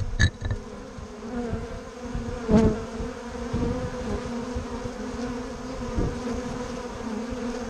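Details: Bumble bees and honey bees at Bourneside, a steady droning hum of many wings with harmonic bands, a few short clicks and a louder pass near the middle, continuous throughout.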